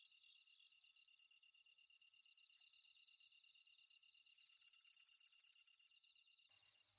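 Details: High, soft pulsed chirping from a kusa-hibari cricket (Svistella bifasciata), a species heard mostly from dawn into the morning. Three bursts of rapid, regular pips are broken by brief silences, and a shimmering higher insect hiss joins near the end.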